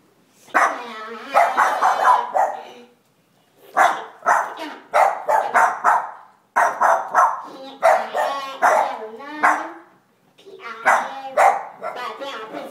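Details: Two Boston Terriers, afraid of Santa, bark in rough, tonal bursts, with human voices mixed in.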